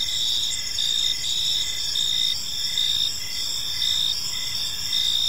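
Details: Gentle chirping of crickets in a serene park at evening, heard as a bright, continuous high trill with short rhythmic pulses repeating roughly every half second to second, and no other clear sounds.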